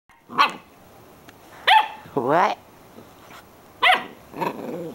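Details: A pet dog barking at nothing: four or five sharp harmonic barks spaced about a second apart, one drawn into a falling, wavering yelp, with a person's voice speaking briefly nearby.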